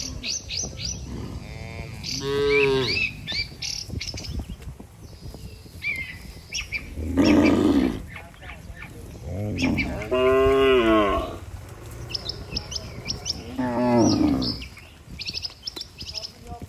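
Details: Healthy cattle in a herd, tended by a herder, walking together to their barn. Four long, resonant, lowing moos come several seconds apart, some rising and falling in pitch. Scattered bird chirps and a low rumble sound behind them.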